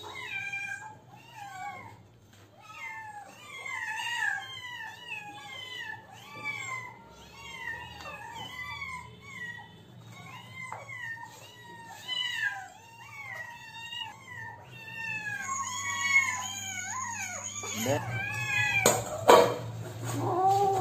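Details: Hungry kittens asking for food, a rapid chorus of high, arching meows from several kittens overlapping and repeating more than twice a second, with a low steady hum and a burst of clatter near the end.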